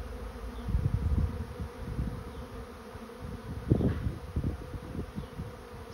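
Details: Honey bees moving into a swarm trap, a low droning hum with bursts of louder buzzing as individual bees pass close, rising and falling in intensity.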